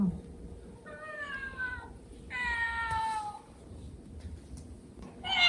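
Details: Domestic cat Milk, indoors, reacting to a crying kitten toy whose neck scruff she carries. Two tonal, harmonic meows: a shorter one, then a longer one falling slightly in pitch. A brief bright call follows at the end over quiet room noise.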